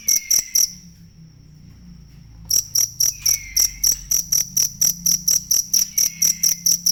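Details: Cricket, offered as a master sound for training songbirds: bright, high, evenly pulsed chirps that stop for about two seconds, leaving a thin steady tone, then resume briskly, with faint descending whistled sweeps drifting through now and then.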